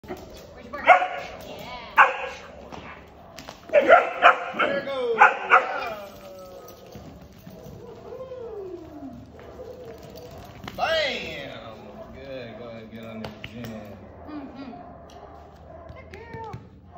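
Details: Giant Schnauzer puppy, 20 weeks old, during protection training: bursts of sharp, rapid barks in the first six seconds, then human voices and drawn-out tonal sounds for the rest.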